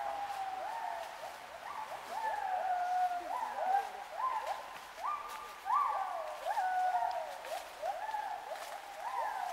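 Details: Gibbons calling in Khao Yai National Park, Thailand, on 11 December 2016: rapid series of short whooping notes that swoop up and level off, overlapping one another several per second, over a soft forest hiss.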